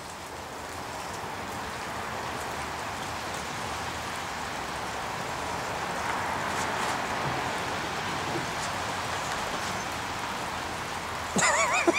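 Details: A broad, even rushing like rain fills the recording, ending in a short rustle, with no animal voice.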